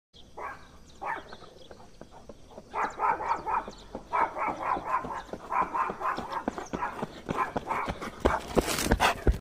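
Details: A German Shepherd running alongside its owner gives runs of short, sharp, mid-pitched barks in quick succession, then a pause before the next volley, over steady thudding footfalls and rustling.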